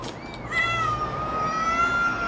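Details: Cat at feeding time with a kitten gives one long, drawn-out meow, starting with a short rising note, then holding a steady, slightly wavering tone for nearly two seconds over a faint background hum.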